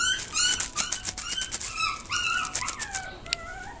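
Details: Mame Shiba whimpering in a quick, uneven string of thin, high yelps, each sliding downward in pitch, roughly two to three per second, fading to softer drawn-out whines near the end.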